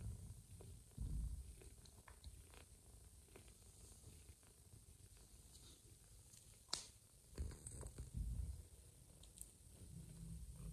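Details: Mother cat Joanna purrs while feeding a little ginger foster kitten she had first refused; a low continuous rumble with louder surges and scattered soft clicks, a sharp tap near the middle.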